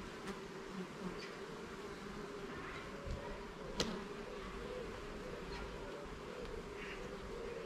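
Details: Steady droning hum of a honey bee colony while its garden hive is opened and the frames inspected, continuous buzzing with a few brief clicks and knocks, one sharp tap near the middle.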